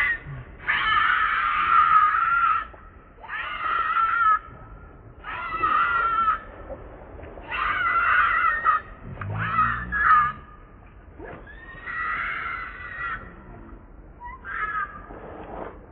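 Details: Baby monkey named Leo crying and begging its mother for milk while hungry: loud, harsh, wavering screams of about two seconds each, repeated roughly every two seconds, seven bursts with short quiet gaps between.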